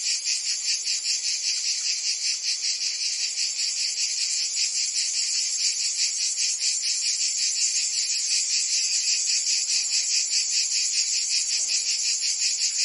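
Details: Summer chorus of cicadas in Provence, southern France: a continuous high, hissing drone that pulses in a regular beat, roughly two or three surges per second, throughout the recording.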